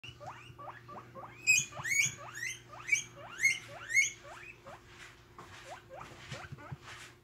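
A guinea pig gives a quick series of shrill, upward-sweeping squeals, about two every second.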